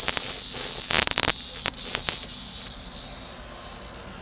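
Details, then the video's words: Cicada brought in by hunting kittens, buzzing loudly and shrilly without pause, with a cluster of scraping, rattling handling noises early on. "Kittens playing / hunting a Cicada.Warning LOUD!"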